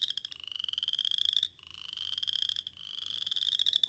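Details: Western Chorus Frog song, first of the season in late March to early April. Three rising, high-pitched pulsed trills separated by short gaps, each creaking upward like a cricket or a slow step on a wooden floor.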